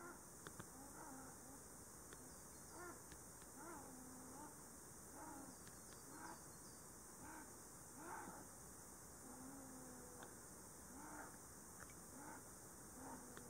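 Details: Faint calls from a pair of Ezo sables in a tree hollow, Shiretoko forest, Hokkaido, 26 July 2018, during the mating season and including threat: short, curved, tonal yelps repeated at irregular intervals with a few longer level notes, under broad background hiss.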